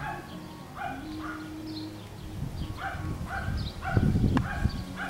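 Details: Playing Schnoodle puppies, Miniature Schnauzer mother and Miniature Poodle father, on a farm in Iowa give quick, pitched yelps and squeals several times a second, with low droning hum and a burst of rustling thumps.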